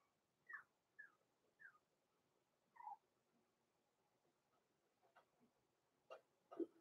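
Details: Blenheim Cavalier King Charles Spaniel puppies, born November 14, 2022, in an indoor puppy pen give thin, high squeaky whimpers, four short rising-falling cries in the first three seconds, then softer scattered sounds and two louder yelps at the end.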